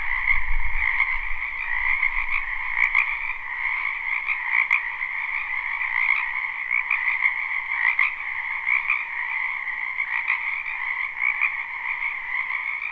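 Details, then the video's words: Many frogs in a spring wetland, live and unlooped: a constant chorus of trilling croaks at two pitches with periodic louder pulses, a brief low rumble at the start and occasional sharp clicks. "Ambient Noise for Sleep Frogs"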